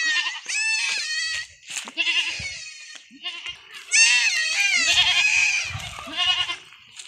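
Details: Goat kids receiving iron injections on a Philippine farm give long, trembling bleats, one rising cry after another, with a louder sustained chorus midway and faint human voices beneath.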